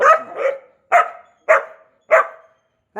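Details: Labrador Retriever, a new puppy, barking at home: a quick double bark, then three single sharp, mid-pitched barks spaced about half a second apart, with another starting at the end; clean background between barks.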